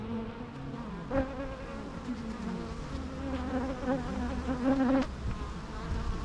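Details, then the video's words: Bee buzzing that rises and dips in pitch as the insect moves about, with several louder passes and brief ticks, the hum holding steady over a soft low rumble. "natural bee sounds"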